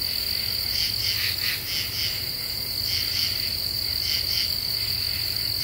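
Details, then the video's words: Common true katydids calling after dark in an Eastern U.S. deciduous forest in the Ozarks, scratchy double and triple pulses recurring about every half second over a constant shrill insect background. "Half Moon and Common True Katydids"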